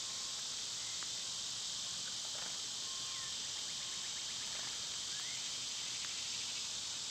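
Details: Cicadas droning loudly on a summer day, an unbroken high-pitched hiss, while birds add short whistled notes, a rising slur and a quick series of chirps over it.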